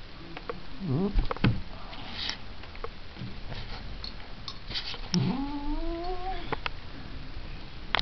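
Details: Low grumbling cat sounds, followed by a single rising, drawn-out yowl that wavers before fading, over a background of soft knocks and rustling indoors.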